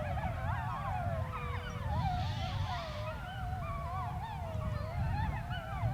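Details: Several gray wolves on the Sharr mountains howl together, their long wavering tones rising, falling and overlapping into a chorus.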